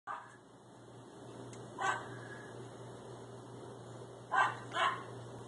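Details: Two Schipperkes, one cream and one black, playing chase around a pool; three short, sharp barks, one near the start of the quiet stretch and a close pair near the end, over a steady low hum.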